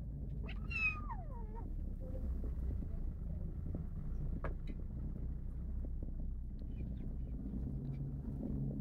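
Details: Greedy kitten guarding its food gives one loud wavering yowl that bends up then slides down early on, followed by a quieter low rumbling growl for the rest.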